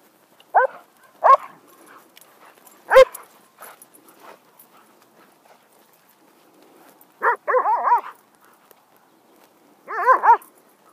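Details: Poodles at home playing wildly, kept as family pets; short harmonic barks and yips in scattered bursts, a loud bark near three seconds, then two clusters of rapid wavering yelps later on, quiet room between.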